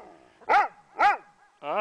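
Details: A female Pembroke Welsh Corgi gives short, arching, yodel-like vocalizations, two in quick succession then a third, while playing with and chasing her favourite frisbee outdoors in a January snowstorm in Columbus, Indiana.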